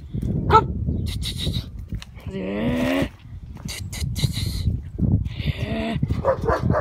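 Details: A Kangal dog giving short, rising whining yelps and a drawn-out whimper among rustling and handling noises, with a man's voice urging it on nearby.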